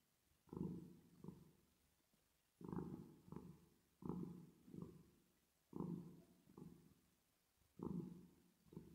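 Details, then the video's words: Domestic cat purring while resting, played with a reverb effect: low rumbling purrs in paired bursts, a longer purr then a shorter one, repeating about every two seconds against a quiet background. "10 Minutes Of Cat Purring Sound With Reverb Effect"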